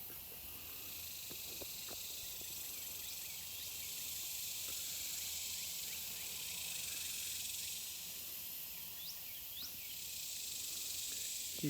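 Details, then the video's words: Cicadas calling by the San Antonio River on a hot day: a steady, high, hissing buzz runs throughout with slow swells in loudness, while brief bird chirps and faint distant traffic sit underneath. "and uh i'm also trying to show you nature wildlife you can hear the cicadas calling out"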